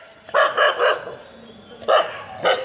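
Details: An angry dog barking, described alongside a puppy in a dog fight or quarrel: a quick run of three sharp, harmonic barks, a pause, then two more single barks, with a faint background hiss.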